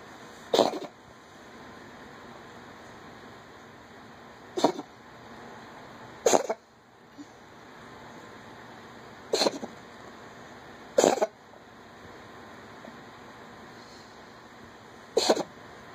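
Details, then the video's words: House cat working up a hairball, seven sharp, noisy retching heaves spaced irregularly a second to four seconds apart, each brief and rough, with quiet room tone between. "The Sound A Cat Makes When Having A Hairball"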